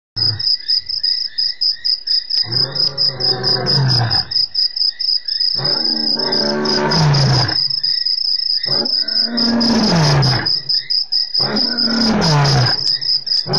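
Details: Male lion captured by a webcam in Africa on 3/04/08, giving four long deep roars about two seconds each that slide downward in pitch, separated by short pauses, over a steady shrill chorus of crickets.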